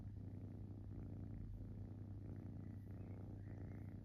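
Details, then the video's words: Kitten purring while relaxing indoors: a steady low rumbling purr, continuous throughout with faint regular pulsing, no pauses for breath, close and quiet, with no other sounds. "Cute Kitten Purring"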